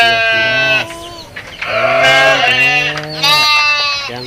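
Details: A small kid and larger goats being counted by a person give three loud, nasal, wavering bleats in quick succession. The middle bleat is the longest and slightly falling, with a voice in the background.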